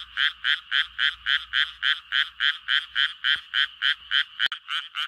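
A Japanese tree frog calls to attract mates with a steady series of harsh, nasal croaks, about three or four each second. A couple of faint clicks break in near the end.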